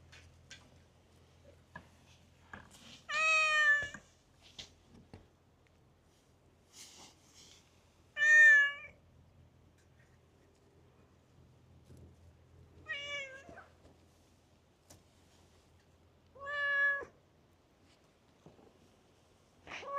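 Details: Stray cat in a park chatting at length, giving four loud, tonal meows spaced several seconds apart, each bending slightly in pitch, with a faint low hum and a few soft clicks between.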